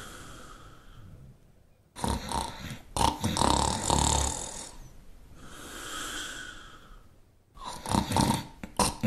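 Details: Snoring Shar Pei, a dog breed, producing harsh, raspy inhaled snores of two to three seconds broken by quieter breathy exhales, the cycle repeating steadily.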